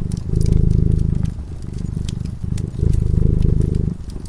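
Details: A cat asleep near the warm fire purrs in a soft, throbbing low drone, rising and easing in roughly one-second breath phases, accompanied by light crackling of burning wood.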